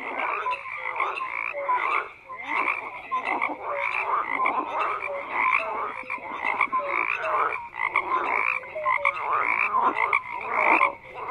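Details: Frogs croaking in a dense, continuous chorus: many overlapping pulsed croaks and short tonal notes layered together, with bursts and dips in loudness every second or two and no other sounds standing out.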